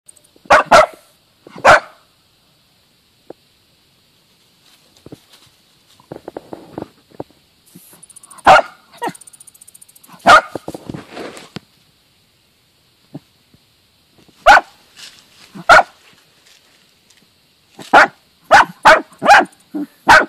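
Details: Two Dachshunds, a male and his mother, give sharp, excited barks in scattered bursts, with scratchy scuffling between, while digging out and killing a mole.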